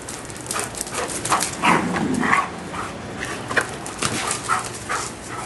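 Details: Giant Schnauzers playing in a backyard on a hot afternoon; a few short, rough growling and barking bursts cluster in the middle, amid scattered clicks, rustling and steady background hiss.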